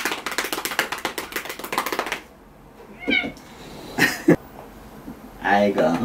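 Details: Domestic cat meowing indoors while its claws are trimmed, one of fourteen household cats. After a stretch of Korean speech come two short rising-falling meows, then a longer wavering meow near the end.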